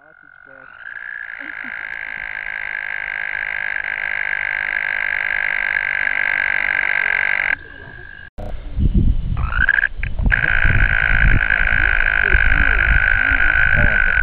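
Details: American toads (Bufo americanus) calling in a shallow roadside ditch in Ohio give long, steady, musical trills, each held for several seconds on one high pitch.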